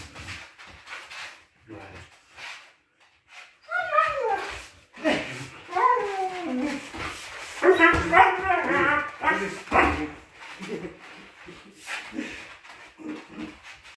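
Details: Siberian Husky giving a run of wavering, drawn-out whines and yowls that rise and fall in pitch, loudest in the middle stretch, with short yips between, and a person speaking around it indoors.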